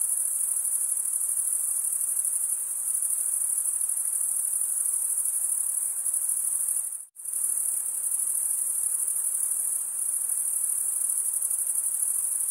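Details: A high, continuous trill from stridulating male crickets is cut by a brief sudden silence about seven seconds in, then resumes at the same steady pitch and level.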